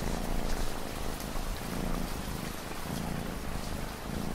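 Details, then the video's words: Cat purring with relaxing ambient rain behind it: a low, throbbing rumble that swells and fades with each breath, roughly once a second, over a continuous rain hiss. "Cat Purring Sound"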